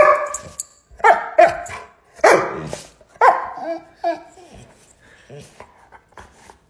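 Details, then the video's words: A pet dog reacts angrily to its owner's barking with a burst of irregular, yappy barks, roughly one a second, that trail off into softer yips. A person's voice is mixed in. "Bark At Your Dog And See Their Angry Reaction"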